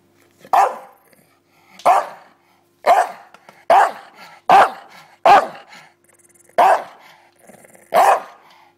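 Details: Bulldog barking at a pillow indoors: eight loud, gruff single barks spaced about a second apart, each a harsh burst with short trailing growly tails, steady faint hum behind.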